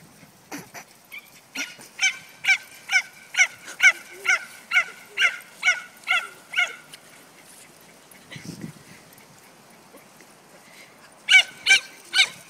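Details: Cesky, a female dog, barking during her favourite game of being chased: a fast run of about a dozen sharp, high, ringing barks at a steady pace, a short quiet pause, then three more barks close together.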